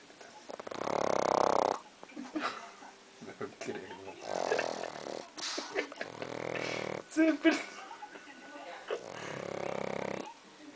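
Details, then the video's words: Dog that wakes, opens its eyes and goes on snoring: several rough, pulsing snore bursts spaced a few seconds apart, mixed with human speech and laughter. "perro roncando"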